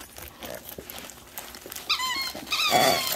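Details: German Shepherd at Christmas while gifts are opened indoors, giving two high, wavering whines late in the moment, the second louder and longer, over background music and people's voices.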